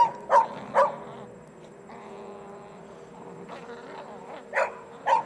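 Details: A beagle playing with a shirt: two sharp yips at the start, a low drawn-out whine or growl in the middle, then two more yips close together at the end.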